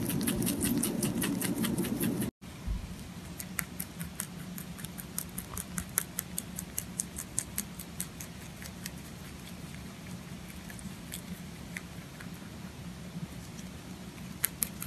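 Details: Domestic rabbit eating up close: a burst of fast, loud crunching, a brief cut, then lighter, irregular chewing clicks at roughly two or three per second over a quiet room background.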